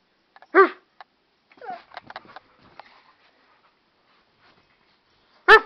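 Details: Wolf, an American Staffordshire Terrier and pit bull mix, barks back at his owner in odd, yowling, talk-like calls: one loud drawn bark at the start, soft grumbling mutters in between, and another loud bark at the end.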